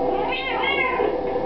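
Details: Indoor house cat joining in with a Happy Birthday tune: two linked meows, a short rising one then a longer falling one, layered over the playing song and a person singing.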